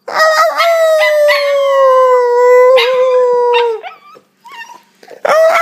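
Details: An Italian Greyhound puppy gives a long, sustained howl that slowly falls in pitch.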